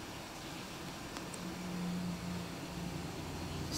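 Steady vehicle or fan noise with a low mechanical hum and no clear animal sound.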